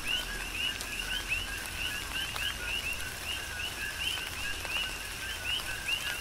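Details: Several coqui frogs sing through a tropical rain shower on Hawaii's Big Island, each call a quick low note followed by a brighter rising whistle, repeated at an even pace against a constant wash of rain and a few drip taps.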